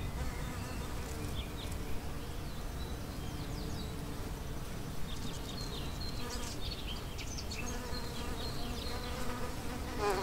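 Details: Bees buzzing around blooming plants in a home garden in April: a low, steady, droning hum that fills the whole stretch, with faint high chirps from birds in the background.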